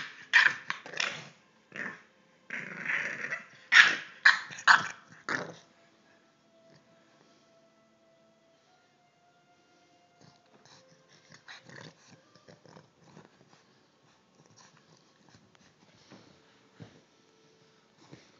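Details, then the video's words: Three-month-old English bulldog puppy in rough play, a rapid run of harsh yapping barks and growls for about five seconds, then quiet with scattered knocks and rustling and a few faint yips. "English bulldog puppy"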